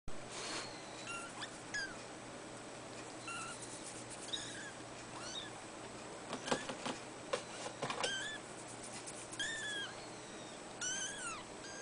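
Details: Three-week-old fawn Abyssinian kitten sisters at a cattery giving thin, high-pitched mews, each a short arched whine, scattered irregularly with quiet gaps between, some calls overlapping, over a faint steady hum.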